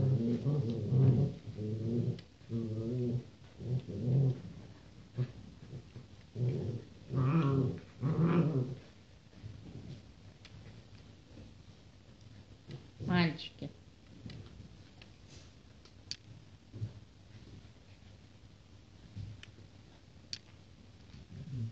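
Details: Litter of Rottweiler puppies born 28 January 2016: low, husky grunts and whines in short pulses for the first several seconds, then quieter scattered squeaks and shuffling noises indoors.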